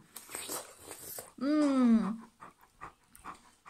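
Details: Bernese Mountain Dog called Mr. Polo, indoors and keen on watermelon, gives one drawn-out, groaning whine under a second long that wavers and slides gently downward, with soft rustling and chewing-like noises before and after.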